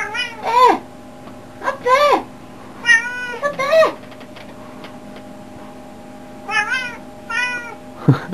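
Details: Indoor pet cat calling in bursts: three or four arched meows, a pause of several seconds, then another quick pair and a final low cry, with a person talking softly nearby.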